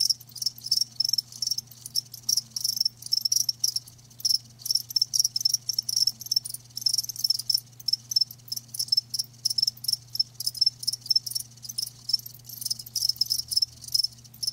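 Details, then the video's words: High-pitched trilled chirping of live crickets, delivered in rapid pulsing bursts that repeat almost without pause, with a soft constant low drone in the background. "Live Crickets 60min "Natural Sound""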